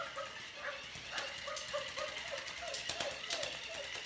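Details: Puppies playing with a squirrel ball give a steady series of short, high whining yelps, each slightly arched in pitch, repeated several times a second, with light clattering and scuffling from the play underneath.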